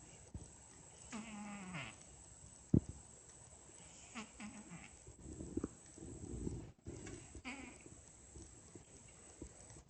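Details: Odd snoring from a sleeping cat, a squeaky whistled breath gliding downward, then softer rasping breaths and another short whistle, over faint background hiss.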